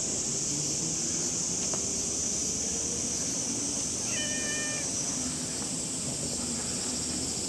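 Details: Stray cats, a calico and a ginger, met on a very hot morning in Japan; a single short, level, harmonic meow lasting under a second, half masked by a constant high-pitched buzzing drone and low background rumble.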